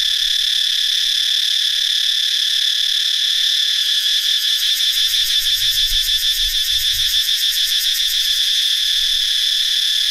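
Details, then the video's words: Many cicadas singing in a forest in northeastern Thailand during the dry season, a loud, continuous, high shrill buzz that develops a rapid pulsing throb midway, with faint low rumbles underneath. "Many cicadas have hatched in the dry season in northeastern Thailand. How loud they are?"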